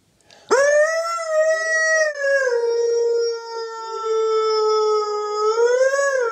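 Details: Morning howl from a Siberian husky singing along with its owner, a sustained clear tonal note rising at the start, easing down and holding steady, then lifting again at the end.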